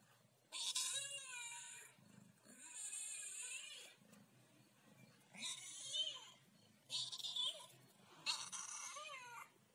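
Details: Ginger cat 'talking': a series of five drawn-out, wavering meows, some rising then falling, each lasting about one to one and a half seconds with short pauses between, in a quiet room.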